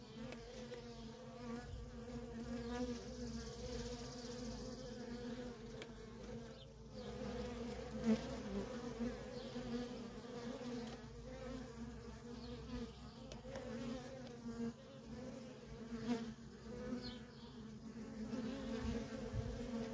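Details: Nonstop traffic of worker bees at a wild honey bee colony makes an unbroken humming drone, pitch wavering as single bees zip past the recorder, with brief louder passes and soft background rumble.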